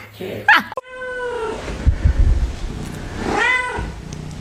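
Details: Domestic cat meowing: two drawn-out, harmonic meows, the first falling away after one second, the second rising then falling near three and a half seconds, with a brief sharp noise at the start and low rumbling handling sounds between.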